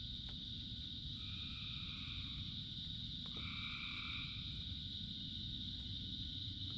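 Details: Frogs calling during rain, a few droning trills around a second long rising over a steady high chorus, with a low, continuous rumble of rainfall underneath.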